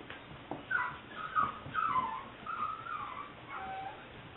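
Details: A 7-week-old female liver/white tricolour English Springer Spaniel puppy whines in a string of high, wavering, drawn-out notes.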